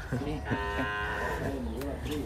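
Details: Dairy cow on a farm in El Salvador, said to have calved four times and giving ten bottles of milk; a sustained, rich harmonic low moo fills nearly the whole moment, with faint voices behind it.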